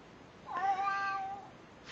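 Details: Domestic cat greeting with a meow: one smooth, slightly falling mew lasting about a second, rich in harmonics, in a quiet indoor setting between people calling hello.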